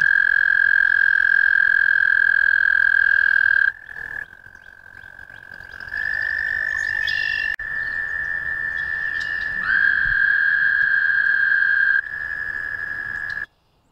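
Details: American toad giving long sustained musical trills, a steady high tone held for several seconds, broken by short pauses and overlapping trills at slightly different pitch.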